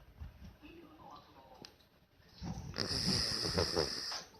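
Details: Marron, a brown Miniature Dachshund in deep, drowsy sleep, snores. After quiet low breathing comes one loud, raspy, broadband snore lasting over a second, with a hissing, airy upper edge, before it fades back to stillness.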